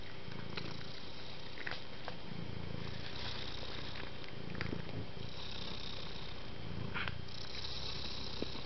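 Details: Soft, contented purring of a house cat: a deep continuous rumble rising and falling in regular breaths about every one and a half seconds, with occasional small clicks and a constant hiss behind it.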